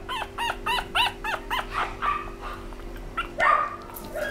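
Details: A small black Pomeranian lets out a rapid string of high, clear yips, each rising and falling, about four to the second. The series breaks into scratchier, uneven whines and yelps toward the end.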